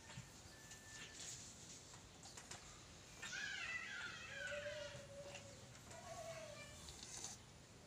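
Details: Razky, a strong long-haired male domestic cat and now a father, adopted at about four months old: a drawn-out harmonic meow with wavering overtones, followed by a lower, shorter mewing call near the end, over soft clicks and room noise.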